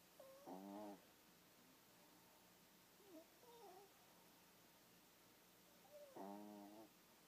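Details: A tired Boston terrier asleep in bed snores in two rasping, buzzy breaths about six seconds apart.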